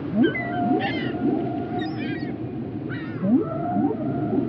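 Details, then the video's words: Whale calls in the water: harmonic, nasal squeals and wavering cries come in bursts about two seconds apart, mixed with short rising upsweeps and a steady held tone, over a low background rumble. "whale sounds"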